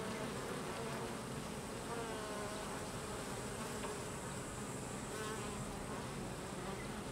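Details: Worker Carniolan honey bees expelling drones from the hive: a thick, unbroken hum of a crowd of buzzing bees, with individual wingbeat tones sliding up and down around the second mark.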